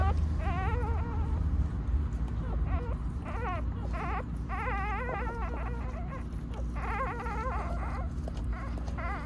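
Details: Whimpering from the family of Hayani, a stray white Jindo in Gimhae that has just given birth to six puppies. High, wavering whines and squeals come in short bursts over a steady low hum.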